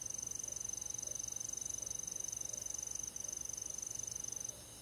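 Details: Summer-night cricket among rural forest insects, a shrill, tightly pulsed trill sustained for over four seconds with one brief break, then cutting off. Faint, steady night ambience sits behind it.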